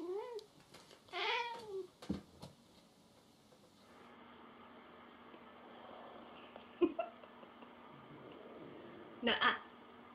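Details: Jealous pet cat indoors gives two clear meows in quick succession, each rising then falling in a smooth arch, followed by a long quiet stretch of room hiss, a short sharp knock and brief human voices.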